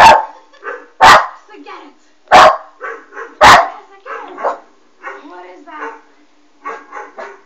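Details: Puppy Westie Alma barks at a Doberman on screen. Four strong barks come in the first few seconds. Then come fainter, drawn-out whining and voice-like sounds.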